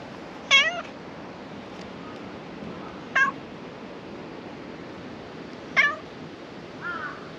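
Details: Black cat that comes out from beneath a shrine floor to be petted gives three sharp, bright meows about two and a half seconds apart, then a softer, lower mew, with quiet surroundings between calls.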